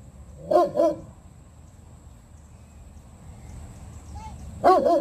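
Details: German Shepherd, two and a half years old, in board-and-train obedience training near Atlanta, Georgia, giving a quick double bark, then after a pause another double bark, amid a low background hum.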